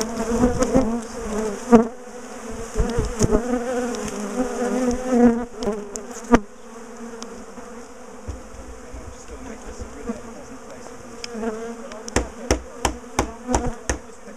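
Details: Heavy buzzing of a big, aggressive bee colony while its top bar hive is dismantled for relocation; strong hum early that thins later, then a run of regular sharp taps near the end.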